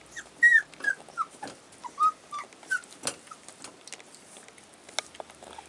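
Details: Collie puppies aged 35 days, filmed 16 February 2012, giving a run of high, squeaky whimpers and yelps, about eight short calls in the first three seconds, some sliding downward, then fading into soft rustling and faint clicks.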